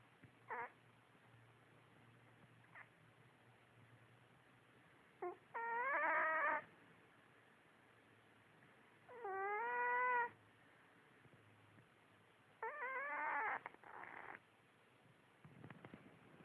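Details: Sleeping female cat, on her back and dreaming, gives three short whistly, rising snores spaced three to four seconds apart. Faint clicks and soft rustling fall between them, and one snore ends in a broken, stuttering tail.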